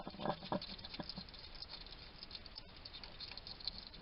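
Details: Male wild hedgehog chattering while he eats at a garden feeding station in Somerset, UK: a quick run of loud crunchy chewing clicks at the start, fading into softer, irregular munching ticks.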